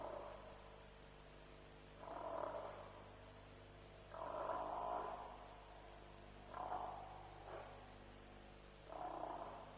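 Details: African buffalo calling at a lions' kill at Djuma around 3 a.m. on 07/03/07; harsh, husky grunts in short bursts of about half a second to a second, four or five spaced a couple of seconds apart, over a steady low hum.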